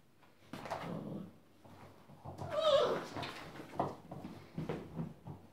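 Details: Six-week-old Rhodesian Ridgeback puppies play-fighting and squabbling with littermates indoors; short, rough growly bursts and grunts come irregularly, peaking with a louder scuffle midway, among soft knocks from a small room.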